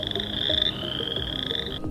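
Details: A tiny chorus frog at a pond gives a loud, high trill, a rapid 'brrrppp' like a thumb run down a comb.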